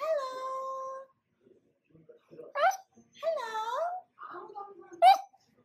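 A corgi gives a vocal greeting: a long, steady moan, then warbling yowls that rise and fall. Short, sharp upward yips break up the run of sounds, giving it a talkative, conversational feel.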